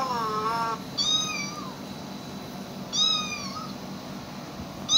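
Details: Housecats with animal sounds played at them: a wavering meow, then two short meows with a downward slide about two seconds apart, and quiet hum between them.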